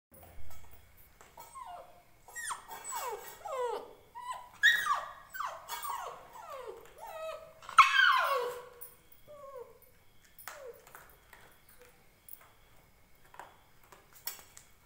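An Indian Spitz puppy cries with high, drawn-out whines that slide downward in quick succession.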